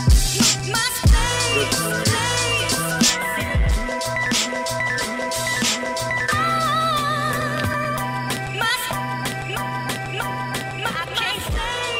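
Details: Pop or rhythm-and-blues music with singing and a steady beat plays throughout, with no animal sound audible.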